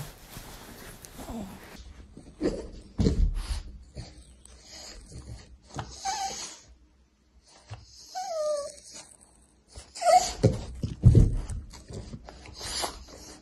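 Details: Playing while lying down, a female French Bulldog gives low snuffling grunts and a thin, falling whimper-like whine, then more rough snorts in an otherwise quiet indoor space.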